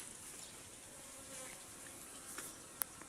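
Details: Honey bee buzzing: a faint, steady hum runs low through the clip under a hissy background, with a sharp click near the end.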